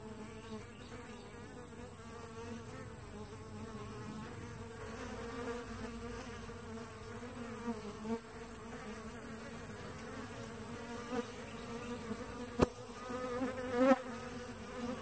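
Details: Busy entrance of a two-week-old honey bee walk-away split: a sustained drone of many flying bees with wavering whines of close passes and a couple of sharp clicks near the end.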